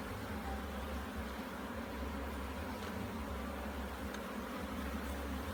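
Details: Bees during a hive inspection in Jamaica, a dense steady humming drone with low tones throughout and a broad hissing wash above, no clear breaks.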